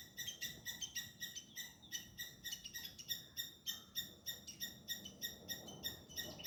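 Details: A squirrel calls out at a cat chasing it, recorded by hidden camera; short piercing chips follow one another roughly three per second, clear above a faint low hum.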